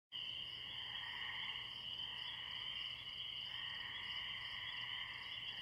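A distant chorus of spring peepers blends into a steady, high, shimmering ring, with crickets chirping beneath.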